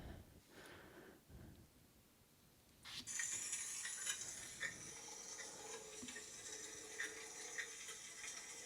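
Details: Underwater, a bed of snapping shrimp fighting gives a dense, hissing crackle, each sharp crackle a claw snap; the noise was once used by submarines to mask their approach.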